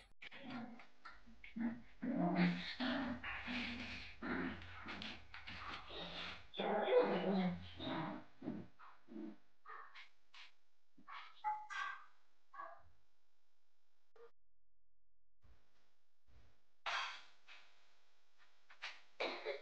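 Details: Japanese Spitz puppy, one of a litter of three born 5 October 2022 to the mother Kalimai, recorded between its 31st and 50th day; a run of rough, harmonic yaps and growly barks bunched in the first seven seconds, then scattered softer sounds and quiet gaps.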